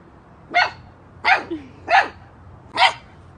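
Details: A female puppy confused by her own shadow in a community park barks at it with four sharp, high-pitched barks in a loose, uneven series.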